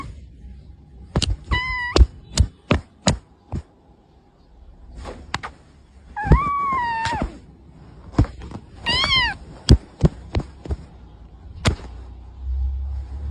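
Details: Domestic cat giving repeated meows: a short, bright meow, then a longer, wavering one and a quick, upward-bending cry, scattered among many sharp clicks and knocks and a low rumble near the end.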